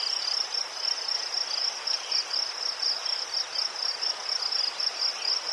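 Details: Crickets in Ukraine chirping in a high pulsed chorus, loudness swelling and fading about twice per second in a loose rhythm.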